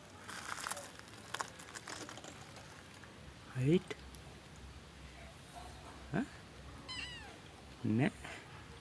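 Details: Cat meowing, short rising and falling calls near 4, 6 and 8 seconds, with a person's voice asking questions and quiet background rustle.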